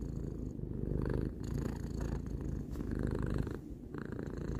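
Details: Close, continuous purr of Tarou, a three-year-old cat, rough and buzzing in a low register, with slight surges between breaths and a short softer dip near the end.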